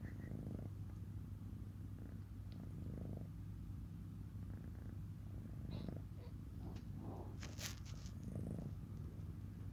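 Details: Pet cat purring in a continuous low, rough rumble, with brief handling noises and faint voices partway through.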